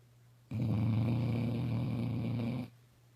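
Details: Sleeping puppy snoring: one long, low, rattling breath lasting about two seconds, a steady buzzing rumble with quiet before and after.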